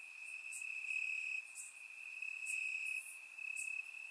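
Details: On a warm summer night in Bulgaria, crickets chirp in the grass; a constant high-pitched ringing trill runs throughout while short bright chirps overlay it at irregular intervals, captured with a surround microphone.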